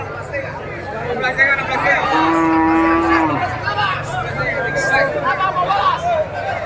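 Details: Cattle at a livestock market in Gorontalo, Indonesia, before Eid al-Adha: one drawn-out, steady low moo lasting about a second amid a busy crowd of talking people and market chatter.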